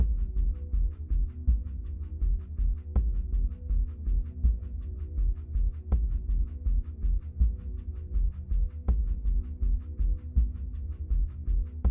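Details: Only background music is heard, with a steady low throbbing beat and regular percussive clicks and no animal calls.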